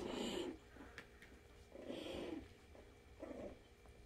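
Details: Havanese puppies at play, one chewing on another's foot, give three short, rough, low growling bursts about a second apart, each roughly half a second long, with quiet gaps between.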